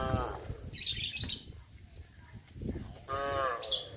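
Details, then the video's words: Village cattle wandering among houses in rice planting season; brief harmonic lowing at the start and again near three seconds, mixed with high chirping bird calls and low background rumble. "Cows wander around residential areas-Sound of cows moo"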